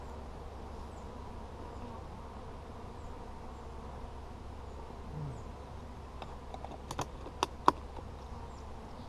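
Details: Honey bees buzzing during a hive check on 17 July 2020: a steady, dense hum of many bees, with sharp clicks and knocks of hive handling toward the end.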